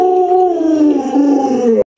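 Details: Lolo, a pet Alaskan Malamute, howls while its owner wears a mask to scare it: one long, steady, mournful tone that sags slightly in pitch and cuts off abruptly just before two seconds.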